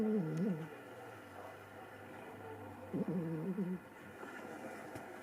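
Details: Dog Shiro asleep and snoring with zero wariness while Ohana sits close by; two low, wavering, buzzy snores roughly three seconds apart in a quiet indoor room.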